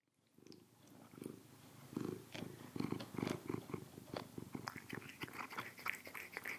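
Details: Sugar, a pet cat, eating Almo Nature trout, tuna and salmon meals in broth indoors. Low rhythmic purring pulses build and continue, mixed with wet chewing, licking and sharp clicking bites.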